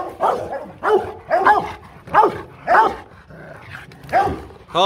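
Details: Rottweiler barking aggressively to threaten another dog: a run of loud, harsh, rough barks, each roughly half a second apart, seven in a row with short quiet gaps between them.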